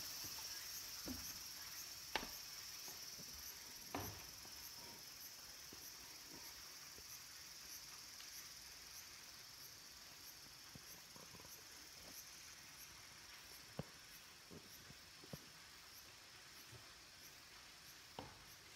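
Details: Late-summer cicada chorus among the green trees of Kabusanji temple in the mountains of Takatsuki, Japan. A continuous hiss-like high buzz with a fast regular pulsing on top, plus a few isolated knocks.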